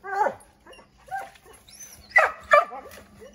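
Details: Several Redbone Coonhounds barking at a chipmunk up an oak tree, trying to drive it out: a quick run of uneven sharp barks and yips, the loudest two near the end, with a faint high chirp.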